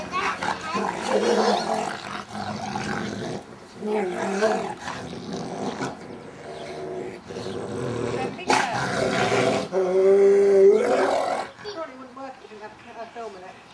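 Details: Two pet dogs, Jet the Rottweiler and Stamford the Staffie, playing together in a garden: rough, harmonic growls and roaring grumbles come in loud bursts separated by short pauses, with a whining note near the end and a human voice audible.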